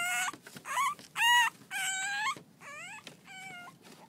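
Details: French Bulldog pups at six weeks, at play: a series of about seven yelping whines, some rising sharply at their ends, others sliding down, loud and clear over a quiet background.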